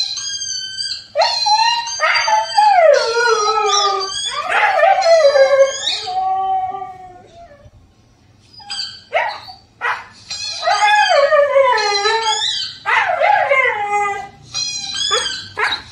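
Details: Siberian Husky puppy, four months old, responding to a howling dog on TV with falling, yodelling howls mixed with short yips, a pause near the middle, then another burst of wavering howls.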